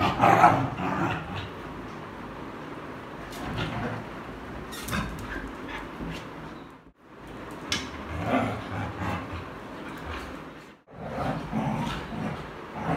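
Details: Street dogs in a friendly play fight: short yips and rough growling bursts come in irregular clusters through the recording, with two brief near-silent breaks and constant background rustle.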